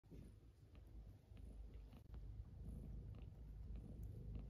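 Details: Pet cats Pochakun and Ginchan, sleeping in an embrace beside an oil heater on a cold-wave morning, give a steady low rumbling purr that pulses rapidly throughout, indoors, with faint soft rustling.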